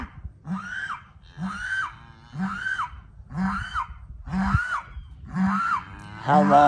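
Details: Weaning calves on day one of weaning, just separated from their mothers, bawl over and over, loud hoarse moos rising and falling about once a second; mothers come to check on them.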